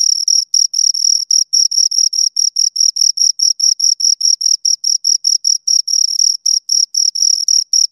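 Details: Crickets, two of them, keep up a dense high-pitched chirping, short ringing pulses following one another rapidly with brief silences between, steady loudness throughout and no background noise.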